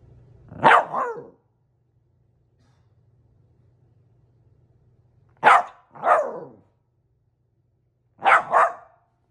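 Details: West Highland White Terrier barking indoors in three short bursts, each a quick double bark, spaced about four seconds apart with quiet in between and a faint low hum underneath.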